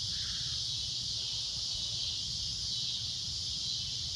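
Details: At sunset a cicada keeps up a loud, shrill drone, an unbroken high-pitched hiss of even strength, over a soft low background rumble.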